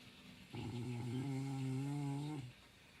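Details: A dog asleep and snoring all night long lets out a single sustained, low, buzzing hum of about two seconds that ends with a slight drop, with a faint room hush around it.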